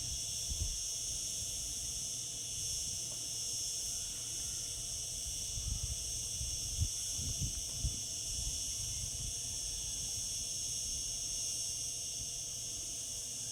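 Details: Cicadas in summer keep up an unbroken, high-pitched buzzing wash, steady in loudness, while brief low thumps and rumbles sound underneath.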